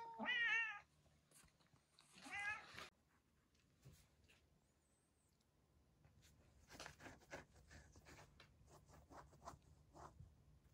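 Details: Two sharp wavering cat yowls open the scene with the retired boss cat Yongo (Kuro), then give way to soft rustling and handling noises over a faint steady hum.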